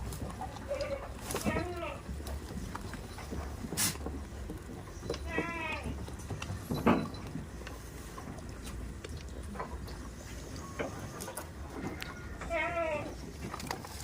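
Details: Several quavering goat bleats scattered through a farm scene, about four in all, mixed with voices, clattering knocks and a steady low hum.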